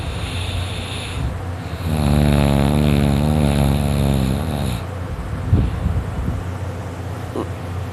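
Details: Dakota, a male dog, fast asleep: quiet breathing swells into one long, loud, rattling snore lasting about three seconds, a low, buzzing throat vibration, then fades back to soft breaths.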